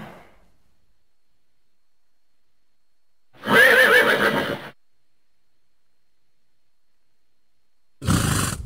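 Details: Horse whinnying once, a short high wavering neigh with a trembling rhythm, set between silences, with a brief burst of broadband noise near the end.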